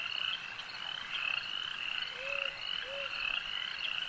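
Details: Frogs croaking at a lake: a dense, steady chorus of rapid high-pitched trills and pulsed notes, with two short, lower, gliding tonal notes standing out near the middle.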